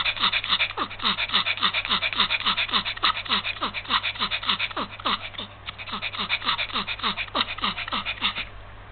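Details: Panting of a Yorkshire Terrier suffering heat stroke, February 2015: fast, regular, breathy gasps at about three and a half per second with faint whimpering tones, briefly easing near the middle.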